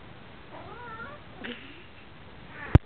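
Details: A cat gives a short, wavering meow that rises and falls, followed by a second thinner meow, then a sharp knock near the end.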